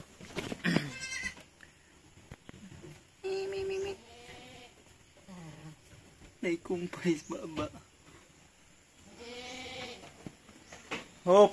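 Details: Goat kids being weaned on a farm in San Carlos City, Negros Occidental, Philippines. They give wavering, nasal bleats in short bursts, four or five times, with people talking between and over the calls.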